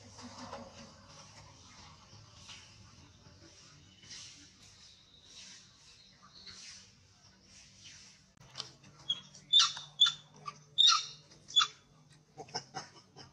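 A monkey gives a string of high, thin squeaks that grow louder and sharper toward the end.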